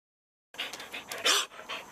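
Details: Devocalized show dog barking: breathy, hoarse, raspy huffs with no clear tone, four or five quick muffled bursts in under two seconds.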